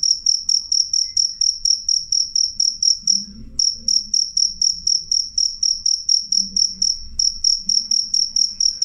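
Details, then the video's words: Clear, loud cricket chirps, piercing and high, pulsing rapidly and regularly, with one short pause past the three-second mark and a quiet low rumble underneath. "suara jangkrik jernih keras"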